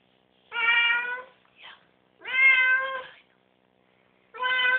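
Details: Domestic cat just after a bath, refusing to get out of the tub: three drawn-out, nasal meows about two seconds apart, each a steady harmonic tone with a slight rise and fall, in an otherwise quiet room.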